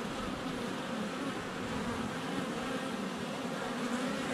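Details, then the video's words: Honey bees swarming in flight at a hive entrance on a sunny February day, filmed up close with a GoPro Hero 7 Black; a steady, dense low drone of many wings hums throughout without pause. "4K Honey Bees - ambient video and audio"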